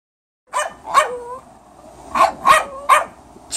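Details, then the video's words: A Boston Terrier puppy barks at a senior Cairn Terrier, a string of sharp, high barks, roughly two per second in bursts. "Boston Terrier puppy barking at Senior Cairn Terrier"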